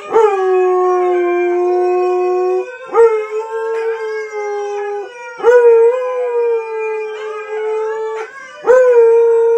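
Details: Husky Onix howling along with friends: loud, drawn-out tonal howls repeated about every three seconds, each starting with a quick upward swoop then holding level, with layered voices overlapping.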